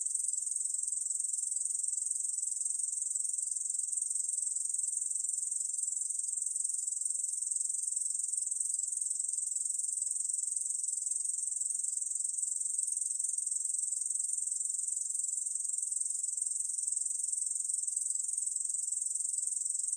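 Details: Korean bush cricket (Tettigonia ussuriana) song recorded in 2020: a continuous, high, shrill buzz that holds steady without pause.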